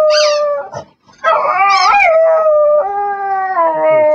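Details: Begging pet dog singing: a short high yelp, brief pause, then a long sustained howl that wobbles early and settles into a steady, slowly falling tone.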